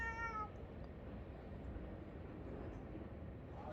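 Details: A cat that is said to be always alone in this spot gives one short, high meow with a clear harmonic tone, followed by quiet background hiss.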